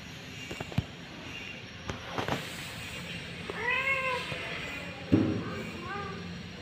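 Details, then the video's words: Domestic cat, a mother said to be panicking while searching for her kittens; two short arched, harmonic meows, one mid-clip and a softer one near the end, over a low background rumble with scattered clicks and knocks. "kucing panik mencari anaknya"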